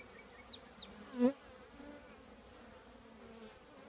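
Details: Honey bees from a colony in an old trash can, a soft constant drone with one sharp loud buzz as a bee flies past the microphone, plus a few distant bird notes.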